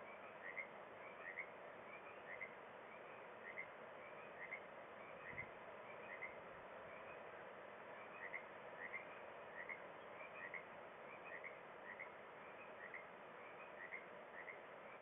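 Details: Frogs call in a steady chorus of short, bright croaking notes, each repeated about every second and overlapping from several callers, at sunset at Kalaloch; a soft, low hum of distant traffic or surf runs underneath.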